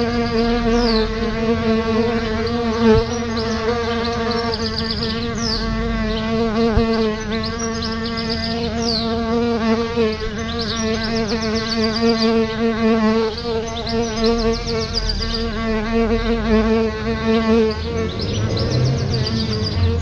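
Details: Solitary bees at a nest just outside a house's front door, several buzzing at once in a steady, droning hum with a strong low fundamental and stacked overtones, wavering slightly as individuals fly near and away.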